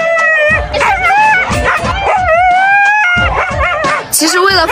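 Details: Siberian Husky howling aboard a pet-friendly charter flight to Sanya, the only dog calling: repeated wavering, rising and falling howls over about five seconds, mixed with a woman's narration and background music.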